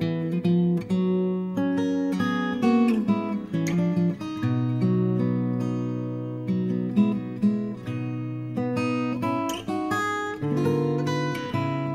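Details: Strummed and plucked acoustic guitar music plays throughout, with no animal sound.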